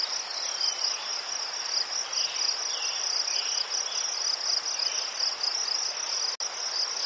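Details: Crickets in Ukraine among chrysanthemums, a soothing night chorus: a dense, steady high trilling band pulsing without pause, with fainter scattered chirps lower down and a brief dropout near the end.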